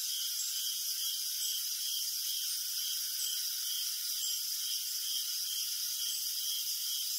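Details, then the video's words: Crickets calling in the night, a thick high-pitched chorus in which one caller's short chirps repeat at a fairly steady pulse, about two per second, over a constant background of shrill trilling. "Crickets Chirping in the Night"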